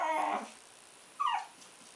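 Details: A two-month-old Shih Tzu puppy named Puck gives a brief nasal whine, then a second short falling squeak after a pause.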